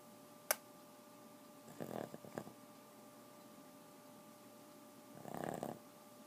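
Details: Boston terrier snoring indoors: two soft rasping snore bursts roughly three and a half seconds apart, the first broken into short pulses, over a steady low electrical hum with a sharp click near the start.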